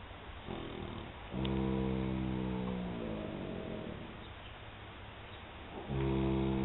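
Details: Molly the filly, one year and three months old, snoring open-eyed: a long droning snore that slowly sinks in pitch over about three seconds, then a fresh snore begins at the end.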